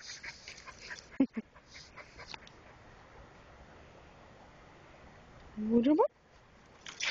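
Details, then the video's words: Espin the Keeshond puppy during rough play: a few soft snuffles and clicks early, then a loud rising whine-yelp near the end, followed by a brief squeaky burst. "Keeshond puppy playtime 2"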